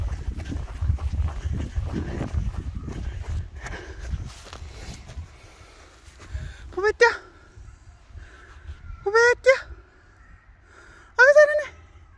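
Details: Dog-like pet cat calls three separate times, each a brief, bright, slightly wavering meow about two seconds apart, after an opening stretch of human voices and low rustling.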